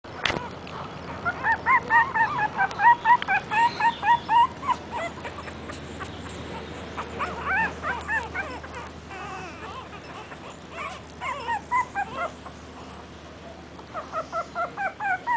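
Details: Dog calling for its mother while playing and hugging: rapid series of high, wavering whines and yips, pulsing about twice a second, fading then returning in short bursts.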